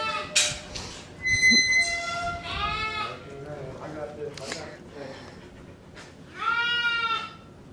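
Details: Shearing day for Angora goats as they are loaded up: loud, quavering bleats rise and fall in two main bursts, with a brief steady tonal music note and handling noise between them.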